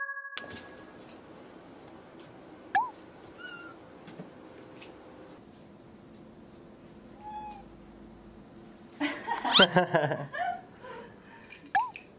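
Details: Domestic cats, one of five pets indoors, reacting to an invisible wall challenge: a few short, arched meows scattered across a quiet room, one early, one midway and one at the very end, with a burst of human speech just before the last.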